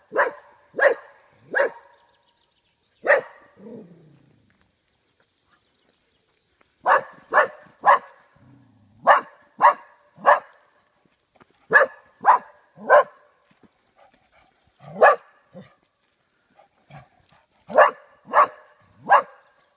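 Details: Oscar, a golden Cocker Spaniel in Dalby Forest, Yorkshire, barks at cardboard cutouts that frighten him: sharp bark bursts in pairs and runs of three, with a brief growl and several quiet pauses between volleys.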